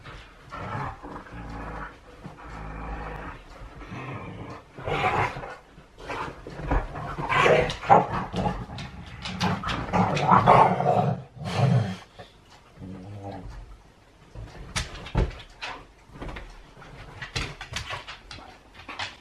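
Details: Play-wrestling huskies make grumbling growls in bursts, building to a loud, throaty stretch in the middle. Between the bursts are brief quiet gaps and scuffling sounds, then softer huffs toward the end.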